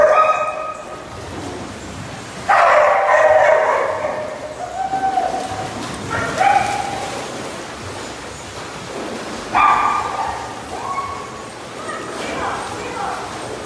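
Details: Named family dogs, including a Husky mix, Labradors and shepherds, let out a few long, harmonic, howl-like cries. Two strong outbursts stand out, with fainter wavering whines and quieter gaps between them.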